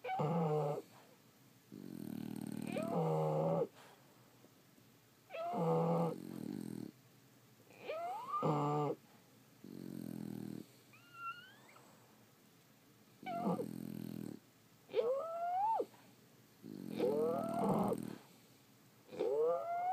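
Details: Sleeping French Bulldogs produce an uneven run of snores, about 27 a minute. Low growly rattles mix with squealing, rising whistles. The breaths sometimes sound overlapping and are broken by brief quiet gaps.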